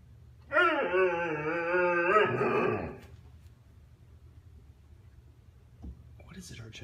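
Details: Husky Argento, one and a half years old, talks to his younger brother Sasha who ignores him; one sustained harmonic yowl of about two seconds bending into a short falling tail, then quiet room and a brief noise.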